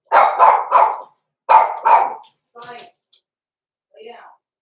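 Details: Blenheim Cavalier King Charles Spaniel puppies, six weeks old, born November 14, 2022, indoors in their pen. Two pairs of shrill, yappy barks in quick succession, followed by a softer voiced sound and a brief human voice.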